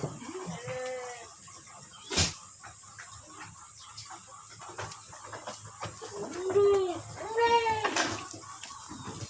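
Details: Kaligesing Etawa goats, young stock raised as future bucks and breeding does in Purworejo, Central Java, Indonesia. Three nasal, arching bleats: one near the start, then two close together later. A sharp knock sounds between them over constant hiss.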